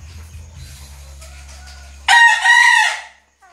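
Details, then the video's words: Bekisar rooster, a green junglefowl hybrid kept as a tough stud male, lets out a single loud, raspy crow lasting about a second, broken into two bursts, after a stretch of low background hum. "AYAM BEKISAR INI GA GAMPANG MENGELUH"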